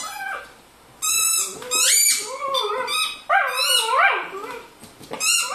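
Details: Manchester Terrier indoors playing with a squeaky toy and howling; sliding, wavering howls rise and fall between bursts of sharp high squeaks from the toy.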